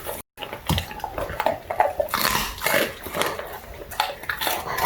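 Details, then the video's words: Ato, a Labrador Retriever puppy, chews duck wings with dense crunchy crackling and wet snapping bites in quick irregular bursts, one short silent gap near the start. "오리 날개 먹는 강아지ASMR(Puppy eating duck wings)"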